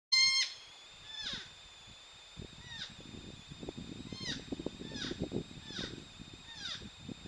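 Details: Wild porcupines mating, the female up in a tree likely rejecting the male on the ground: high, harmonic whining calls with drooping, falling tails, about six in seven seconds, over low rustling and scraping noise.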